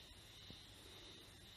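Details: Haruzemi (spring cicada) singing near Taka town, North Harima, Hyogo, Japan, on 14 May 2021, recorded by smartphone; a steady, high, unbroken whine holds throughout, over a faint low rumble, with one soft knock midway.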